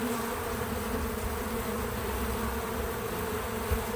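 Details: Bees visiting a feeder, recorded with natural untouched audio and no music or narration: a steady, continuous low droning hum with layered tones that never pauses, and a faint high hiss.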